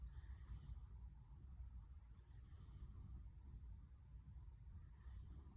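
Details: A sleeping young Welsh Corgi, which began snoring after a sudden growth spurt, snores with a low rumble and a soft, hissy whistle about every two seconds.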